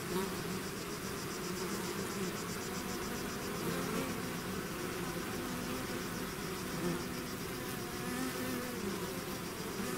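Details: Bee swarm leaving its hive: a thick, even buzzing drone throughout, overlaid by a faint, rapid high-pitched pulsing chirr.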